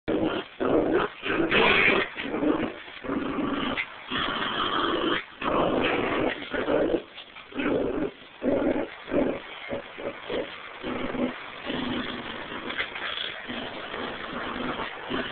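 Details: Pomeranian and terrier mix dogs in a tug of war, growling in rough, noisy bursts of one to two seconds broken by short gaps, with a few higher yips mixed in.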